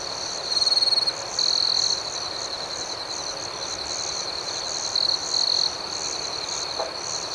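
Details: Night crickets chirping outdoors, two loud buzzy trilled bursts early on and another pair later, each under a second long, set over a steady high-pitched background chorus.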